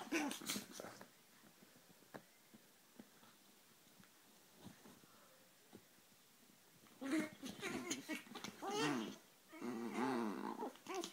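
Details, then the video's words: Two Chihuahuas fighting each other indoors: a burst of snarling growls at the start, then a quieter stretch of faint snuffles and thumps, before loud, wavering growls and snarls return in several long bouts. "le choc des chihuahuas"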